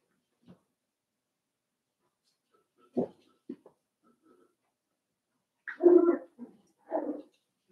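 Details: Five-week-old Cavalier King Charles Spaniel puppies in a pen: short whimpering yelps, quiet at first, then louder bursts of whining cries near the end.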